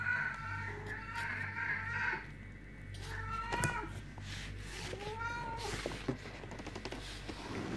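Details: Kittens mewing: a long, drawn-out meow opens, followed after a pause by shorter rising-and-falling mews spaced a second or so apart, over a low steady background hum.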